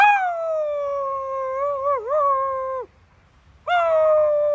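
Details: Coyote answering a person's howling with long, clear, slightly falling howls; the first holds steady, wavers briefly in the middle and ends in a downward slide; after a short silence a second howl begins.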